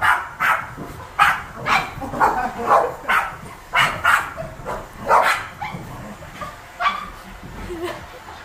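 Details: Seven Boston Terriers bark during house cleaning with a vacuum. Clipped barks come roughly once a second at first, then thin out into scattered quieter ones, with a person talking alongside.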